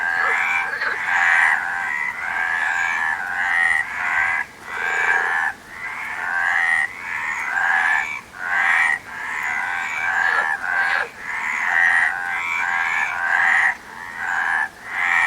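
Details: Numerous frogs croaking at once, rough pulsed calls overlapping into swelling bursts with frequent short breaks, steady intensity over fifteen seconds.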